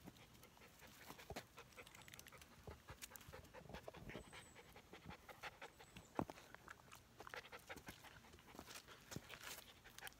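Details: Thirteen-week-old Standard Poodle puppies out on a hiking trail, breathing in short, noisy rhythmic pants amid crunching footsteps, with a few sharper clicks and taps.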